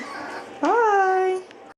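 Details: One seven-week-old puppy from a litter lets out a single clear whine, briefly rising and then holding a steady tone for under a second, with faint room noise before it.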